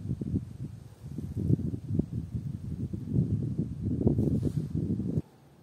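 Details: Dense, low purring grunts of common frogs, quick pulses stacking into a rolling chorus that swells in the final seconds, then cuts off abruptly into near silence.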